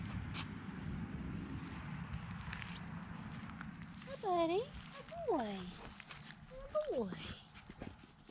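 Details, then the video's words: Zooka, a dog, playing with a much larger dog named Willy in week 13; three loud, falling, tonal whines or yelps come in quick succession over steady rustling and scuffling, with a man's voice softly praising the dog. "Zooka playing with a much larger dog, Willy"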